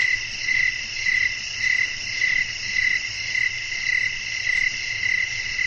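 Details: Night-time cricket chorus in the wind: a string of brief, regular chirps, nearly two per second and about ten in all, on top of a constant high-pitched insect drone with no other clear sounds.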